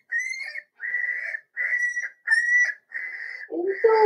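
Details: Four-week-old Cavalier King Charles Spaniel puppies in a home puppy pen, during socializing with other dogs and first tries of puppy mash: a run of high, steady whining notes, each about half a second, the final two lower and rougher.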